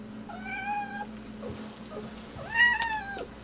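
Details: Manx cat in her first winter, wanting to get outside to play in the snow, gives two clear harmonic meows: a level drawn-out one, then a louder rising-falling one, over a steady low indoor hum.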